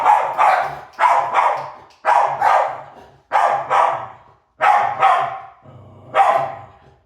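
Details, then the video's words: Maisy, a dog, barking while chasing: paired loud barks come in bursts roughly every second, each pair sharp and broadband with a slight echo trailing after, ending in a single bark after a brief pause. "Maisy The Barking Chaser"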